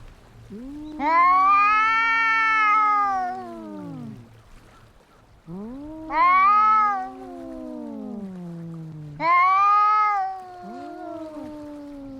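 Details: Fighting cats trade three long, rising-then-falling yowls, each loud wail trailing into a lower drawn-out moan, with quiet gaps between the outbursts.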